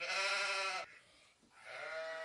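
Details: Sheep bleating: a loud, nasal, steady bleat of nearly a second, then a short quiet pause and a second, softer bleat of similar tone.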